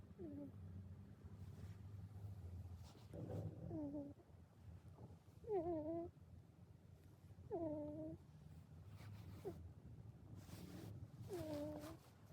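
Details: Domestic cat snoring while asleep during a hug: a soft low rumble with each breath, roughly every two seconds, often ending in a short falling whistled tone, with quiet room noise behind.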